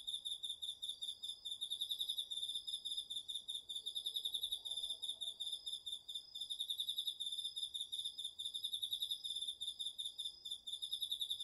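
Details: Cricket among autumn insects singing in a garden vegetable field, recorded with a DR-40X: a high, rapid pulsed chirping trill that runs steadily throughout with slight pulses in loudness, over a faint low background hiss.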